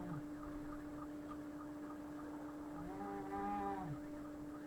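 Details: Cats in a fight give a single long, wavering, moaning yowl near the end, held about a second, after a stretch of steady hum and faint low noise.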